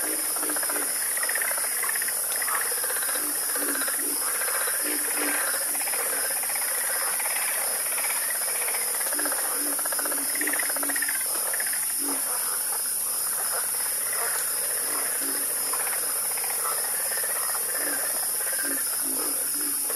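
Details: Chorus of frogs croaking, with dense overlapping short croaks layered over a steady high, shrill insect-like drone throughout.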